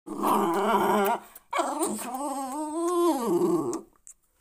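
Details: Jack Russell Terrier growling while protecting its owner: a tonal, grumbling growl-whine in two long bursts of about a second and two seconds, the second one bending up in pitch and then dropping, indoors.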